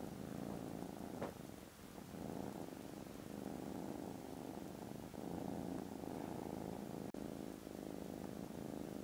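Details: Foster kittens, contented and snoozing after lunch, give a very loud steady purr recorded 18 December; the low buzzing rumble pulses gently with breaths, broken by a soft click and a brief dropout.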